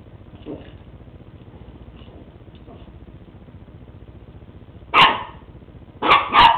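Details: West Highland White Terrier Lucy at play with a new treat ball indoors; faint soft sounds at first, then three loud, sharp barks in quick succession, the last two nearly back to back.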